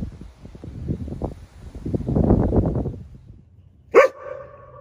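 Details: Akita dogs, three generations of a family, at a convenience store in the early morning: about three seconds of low rapid huffing pulses, then one sharp, ringing bark that trails off into a short tonal whine.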